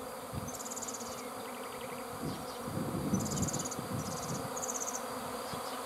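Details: Bees swarming, their massed low buzzing drone swelling near the middle, with bursts of thin high trilling chirps from other creatures overhead.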